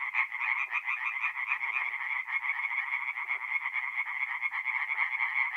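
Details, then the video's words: Night chorus of tree frogs at a forest pond, North-East Italy, mid-April: steady dense pulsing calls from numerous frogs, with a few faint lower croaks surfacing now and then beneath the main chorus. "relaxing forest pond by night with singing tree frogs"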